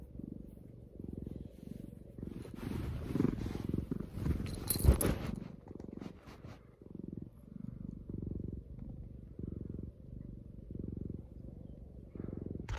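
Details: House cat purring up close in an ASMR recording: continuous low rumbling in breath-length bursts, with brief rustling and a soft bump midway.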